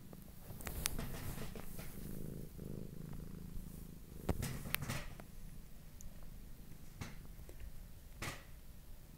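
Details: A pet lop-eared cat kept indoors in an apartment purrs softly in a low, steady rumble, with occasional clicks and small handling noises.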